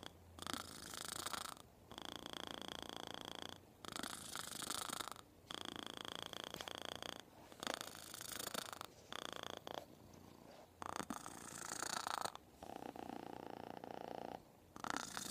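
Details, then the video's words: A kitten purrs loudly in the ear in steady rhythmic bursts, each pulse lasting about a second or two. "Kitten purring loudly"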